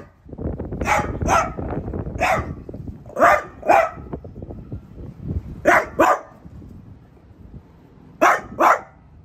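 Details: French Bulldog indoors barking at a new artichoke plant, letting it know who rules the house; sharp barks in pairs and short bursts, with rustling and shuffling between them.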